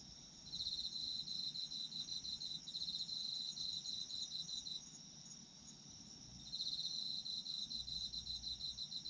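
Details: Autumn insects singing: a high, rapidly pulsing trill in bursts of roughly two seconds, separated by short pauses. A second steady, thin, high ringing hum continues throughout.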